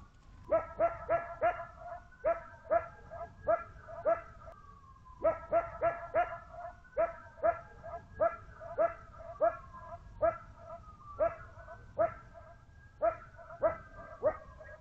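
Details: Coyote in the Arizona desert at a watering hole gives sharp, yapping barks in quick bursts, reacting to sirens wailing in the background, then runs off barking; the recordist wonders if it also barks at its echo.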